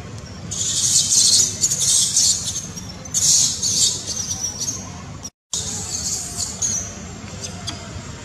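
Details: Angry baby macaque, denied milk by its mother, shouts loudly: long shrill, high-pitched screaming bursts in two main bouts with a brief gap, then fainter screeches.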